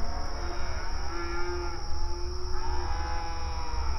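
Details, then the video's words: Pasture cattle on open range, long level drawn-out moos, one held steady for about a second then another swelling near the end, with low rumbling background and a constant high thin tone. "Outdoor Pasture Cattle Grazing Sounds"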